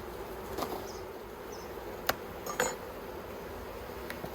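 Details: Colony of honey bees in the Yellow Hive in Australia, where the keeper is persisting with plastic frames, 9 October 2021; a soft continuous droning hum underlies sharp wooden knocks and clicks from frame handling.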